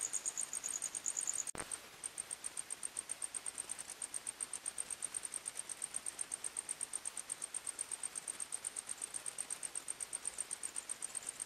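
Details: Night forest crickets: high chirping with a brief click-like break early on, after which the shrill pulses resume slightly higher and keep a fast, even beat, about three per second, against quiet hiss.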